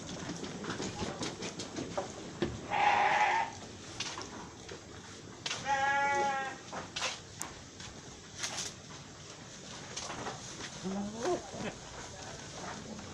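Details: Etawa goat from Aceh Tamiang bleating twice, a short, strained cry followed three seconds later by a longer quavering bleat, with a faint low murmur and scattered clicks in the background.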